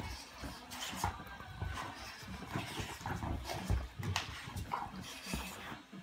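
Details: Dogs in a mock fight, a Rhodesian Ridgeback against a Bullmastiff; rough low growls and scuffling with short sharp bark-like bursts at irregular intervals over about six seconds.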